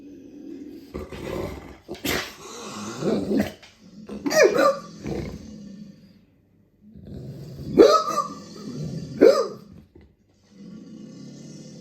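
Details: Dogue de Bordeaux guard dog reacting to strange sounds: deep, rough barks and growling bursts in uneven bouts, with short pauses of near silence between them.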